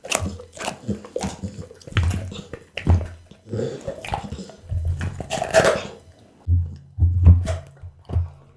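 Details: Raw-feeding pit bull Bounce works through boiled loach, tuna dark meat, beef kidney, lamb spine and horse meat; uneven moist munching and sharp bony cracks over a low hum, captured on an Insta360 ONE R.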